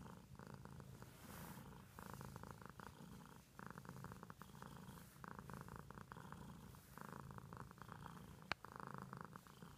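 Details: Pet cat purring indoors, a continuous low rumble with rhythmic pulses, louder bursts roughly every one to two seconds, and a single sharp click near the end.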